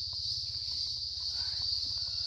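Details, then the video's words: Loud crickets outside a house in the countryside keep up a steady, high, shrill trilling chorus that never breaks, with faint footsteps and a low background hum underneath. "Ang ingay ng crickets. Yung crickets yan, maingay yan. Yung crickets na yan."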